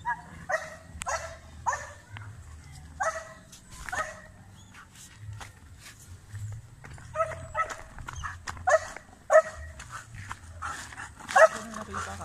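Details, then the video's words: Barking from a Belgian Malinois during urban search and rescue training on rubble with aggressive indications; irregular loud barks in clusters, sparse early then denser after seven seconds, over a steady low hum and scattered clicks. "Belgian Malinois Urban Search and Rescue Canine Training on Rubles with Aggressive Indications"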